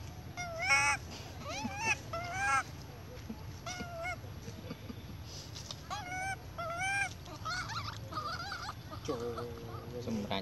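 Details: A baby monkey cries loudly for milk from its mother in repeated shrill, wavering wails that rise and fall in pitch.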